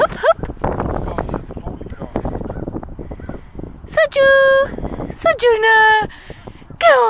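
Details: Playful 19-week-old Alaskan Malamute puppy Sojou, a female, batting golf balls: people talk at first, then come drawn-out, steady, level whining notes near four and five seconds, ending in a falling yelp.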